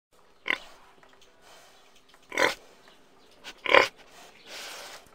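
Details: Domestic pig giving three short, harsh, squealing grunts spaced one to two seconds apart, each a brief broadband burst, with a soft hiss filling the pauses.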